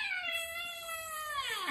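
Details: House cat confronted by an uninvited guest: one loud, rich, sustained meow, held steady and then sliding downward at the close.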